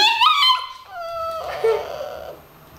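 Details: Pet dogs, named Jesse and Desmond, 'talking' to their owner indoors: a tonal whining howl that steps down in pitch in short slides, then fades into a softer, lower moan. A woman speaks Dutch just before and after.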